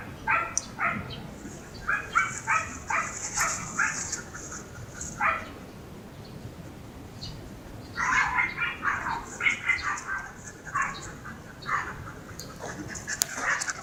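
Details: Siberian Husky Mero on a stroll to unwind, letting out quick repeated yips and barks in two clustered runs with a quiet gap between, backed by a constant high-pitched buzzing drone and occasional human voices.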